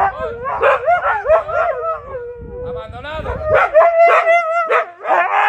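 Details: Pet Siberian Husky, one of two dogs, reacting while its owner jokingly pretends to abandon them by leaving on a boat; it gives wavering, sliding howls and whining yodels in several rising and falling bursts, with a person's voice mixed in.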